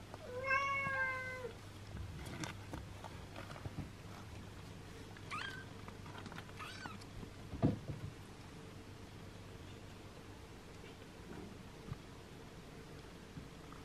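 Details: Six-day-old kittens being licked and groomed by their mother; a clear harmonic mewing cry opens, then softer faint mews and rustling handling noises, over a steady low hum indoors.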